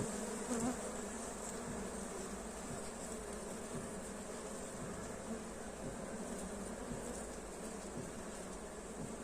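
Honey bees hum in a steady, dense buzz from many wings beating at once.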